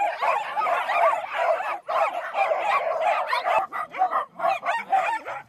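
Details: Excited small dogs at a farm on Small Dog Day, including a newly arrived Havanese and a Toy Poodle, bark in a rapid, yappy chorus of overlapping high barks and yips with brief pauses.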